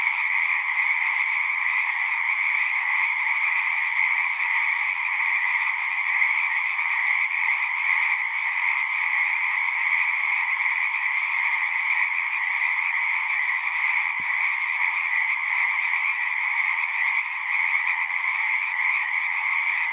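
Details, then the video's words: Frogs sing in a large, continuous chorus, a constant pulsing trill in two bright pitch bands that stays level throughout, broken only by one brief faint click. "One hour of singing frogs."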